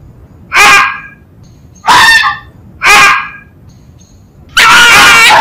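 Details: Fox yelping, known in Spanish as gañido or tauteo: four loud, hoarse, harmonic-rich barks about a second apart, the last one longer and noisier, over a quiet background.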